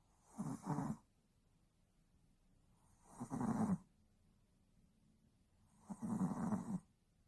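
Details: Tired Yorkshire Terrier asleep, snoring in three rasping, broad-band breaths roughly every three seconds, each about a second long with quiet pauses between; indoors, no other sounds.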